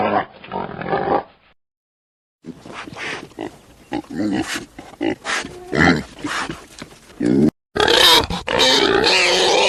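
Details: Pig grunting in several short bursts separated by silent gaps, a low snorting sequence followed by rougher, louder grunts and a final burst of harsher, noisy squealing.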